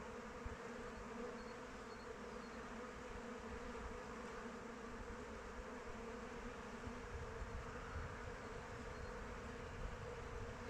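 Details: Honey bees flying around their hive in open weather, a steady, dense buzzing drone with a low hum and no pauses, broad and even throughout; low rumbling noise underneath.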